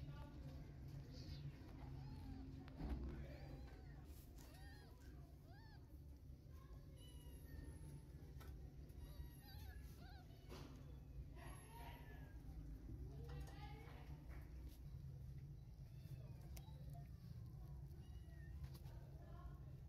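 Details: One-day-old newborn kittens, hungry and crawling in search of milk, give thin, high, wavering mews scattered through the clip, rising and falling in short bursts, over a steady low hum with faint clinks and voices.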